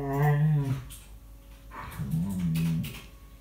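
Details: Tia, a chatty rescue dog who rarely barks but prefers talking, vocalizing indoors while playing with fellow rescue dog Sandy in 2018: a low, drawn-out harmonic growl-moan, then a second quieter rumbling phrase after a pause, with scuffling in a small room.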